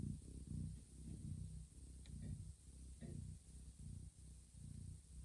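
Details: Domestic cat Johanna, a mother licking the heads, backs and bellies of her sleeping kittens indoors, purrs in a deep, throbbing rumble that swells and fades about twice a second, with a couple of faint clicks.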